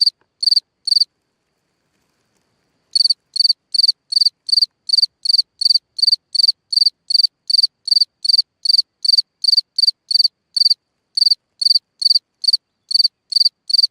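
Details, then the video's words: Cricket singing at night from a hole in the ground: high, bright pulsed chirps repeated about two or three times a second, a pause of two seconds early on, then a steady run, in otherwise silent surroundings. "Watch and Listen a singing Cricket (Chirping sounds, Hole in the ground, Night Ambient Sounds)"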